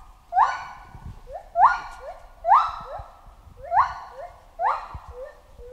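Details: A chimpanzee gives five loud, upward-sweeping hoots, each a harmonically rich cry that rises quickly and then trails off. The cries come about once a second against a quiet background.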